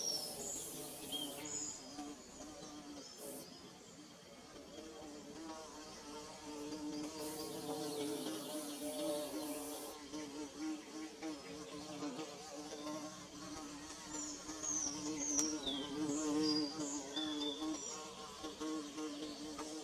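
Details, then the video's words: Comb-building bees drone continuously, several overlapping buzzes shifting slightly in pitch, with bursts of hissing noise early on and a few faint high chirps in the later part. "Bee Buzzing"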